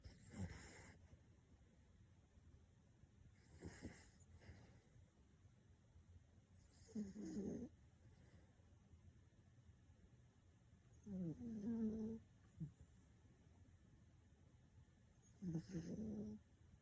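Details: Elderly, chubby black toy poodle named Mu-chan, 6.5 kg, snoring loudly in deep sleep; rough rasping snores come in short bursts about every four seconds against quiet room hiss.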